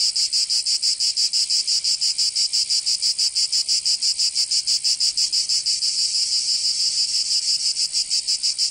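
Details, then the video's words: Cicadas of Provence, southern France, singing in summer: an unbroken shrill rasping drone beating in steady rapid pulses, about three per second, slightly smoothing toward the end, with no other sounds. "Canto Cigarra 🦗 [ Escuchar les cigarras en verano 10 H]"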